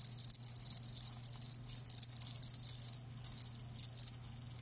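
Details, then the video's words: Live crickets chirping, a dense layer of high, shrill pulses in irregular bursts, several callers overlapping, with a faint steady low hum underneath. "Live Crickets 60min "Natural Sound" ASMR"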